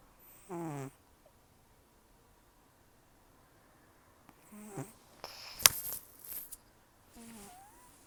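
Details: Sleeping rescue cat Taro, about 10 to 14 years old and nearly toothless after gum disease and years outdoors, snores heavily through the nose. Three humming, wheezy snores spaced several seconds apart, with a sharp rustle or tap between them.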